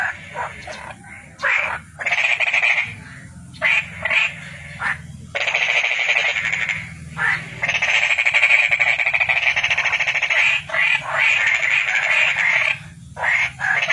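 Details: Toad calling with long, steady, rattling trills of fast pulses, broken now and then by brief pauses, over a soft low rumble.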